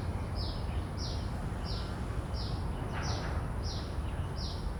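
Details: Common cicada, field recording made with phantom-powered shotgun mics: seven evenly repeated short high raspy pulses, about one every 0.65 seconds, over a persistent low rumble.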